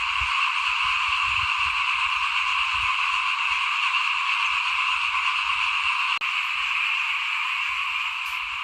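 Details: Frogs calling in front of a house at rice sowing time in 2021, forming a dense, unbroken trilling chorus that holds steady throughout, with faint low rustles beneath and one sharp click near the end.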